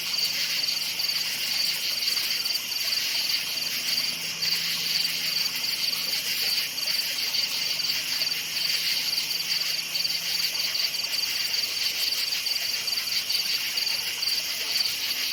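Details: Night forest chorus of crickets, with a continuous high-pitched chirping pulsed in rapid, even bursts and a shimmering insect hiss underneath, a faint low hum present throughout.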